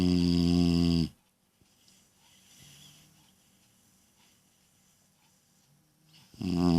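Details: Ella, a little female Beagle, snoring loudly indoors: a deep, rasping, buzzy snore opens the recording, followed by about five seconds of quiet breathing, then another loud, low, harmonic-rich snore.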